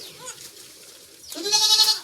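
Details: Four newborn goat kids from one delivery on a goat farm, the mother still awaiting the afterbirth; a short faint call, then a longer quavering, nasal bleat that swells and holds for about half a second.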